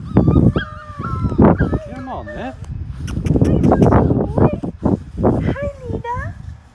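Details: Five-week-old Labrador Retriever puppies, part of a litter of six, try a dip in the baby pool where they were born. Short high, wavering whines rise and fall between people talking and laughing, with water sloshing underneath.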